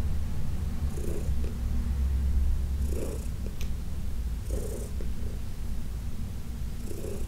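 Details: Fourteen-year-old adopted cat Heidi purring under a massage, June 17, 2021: loud, low, throbbing purr carrying on without pause, overlaid by periodic soft strokes of hands on fur.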